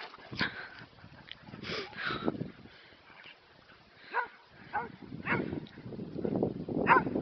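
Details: Dogs barking while three of them chase one another in play, with scattered short barks and yips spread through the clip over rumbling movement and scuffling noise.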